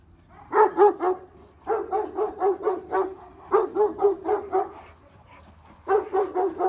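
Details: Kangal shepherd dogs, on wolf watch and very tense, bark in rapid, agitated bursts after the owner heard a wolf howl nearby; he suspects a lone wolf that became separated from its pack.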